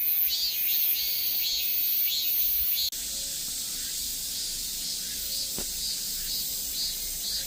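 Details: Korean cicadas: rhythmic high buzzing pulses give way after an abrupt cut to a dense, even, hissing drone across the high range, with a brief click midway.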